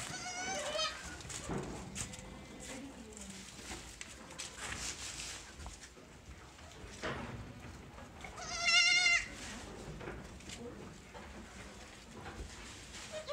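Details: Young Sojat and Totapuri goat kids from a new lot at a goat farm in Pune, India: a short harmonic bleat near the start and a louder wavering bleat after eight seconds, over faint voices and farmyard background.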